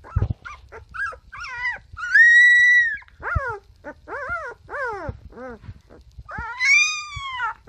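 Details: A puppy howls in a long, steady, high note, then gives several shorter falling cries, with a few soft yips between them. Another long rising howl closes the sequence.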